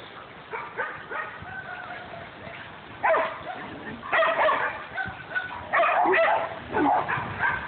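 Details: Household dogs, a Great Dane, a Jack Russell and a golden retriever mix, with one dog giving sharp, high yelping barks in bursts around three, four and six seconds, a person speaking nearby between them.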